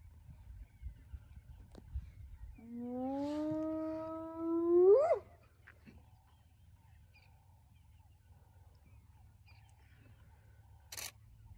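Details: Early morning in the northern Sabi Sands, South Africa, at Elephant Plains, where a wild spotted hyena clan mobs a young male lion, the Nkuhuma male: after low rumble, one clear sustained call rises gradually, then swoops steeply up and breaks off.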